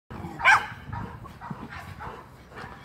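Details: Feisty Miniature Schnauzer while playing: one harsh, noisy bark-growl bursts out near the start, followed by softer scuffling and faint low grumbles for the rest of the moment.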